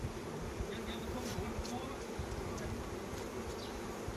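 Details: Honey bees at a Khmer honey farm in Cambodia during the flowering honey season, giving a dense, steady, low droning hum that fills the recording without pause, with faint scattered clicks above it.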